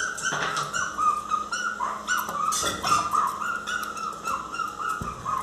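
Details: Miniature Pinscher Teco crying loudly, wanting to come into the house; a run of high-pitched, drawn-out whimpers with brief yips, steady and insistent, clicks and faint household sounds behind.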